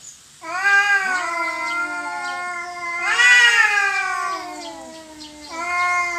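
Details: Cats fighting over territory: long, drawn-out wailing yowls with strong harmonics, one rising into a louder, higher howl near the middle, then falling and starting again near the end.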